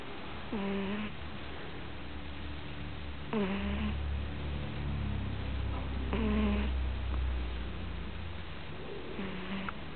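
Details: Snores from a sleeping puppy: four brief nasal, buzzy squeaks at even intervals of nearly three seconds, over a steady low hum.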